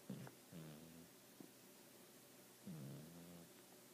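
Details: Domestic cat sleeping and snoring, propped on pillows; two low buzzy snores about two seconds apart, each sliding down slightly, with a faint click between them in a quiet room.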